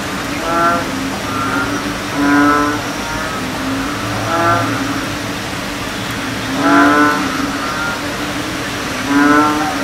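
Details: A group of American bullfrogs giving low, booming, mooing croaks with layered harmonics. Separate callers overlap in surging bursts roughly every two seconds, with a constant low hum underneath.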